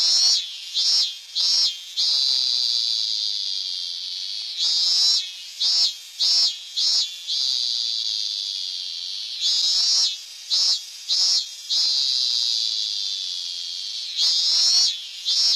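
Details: A robust cicada (Hyalessa fuscata) sings in high, shrill bursts: a few sharp pulses, then a long ringing drone.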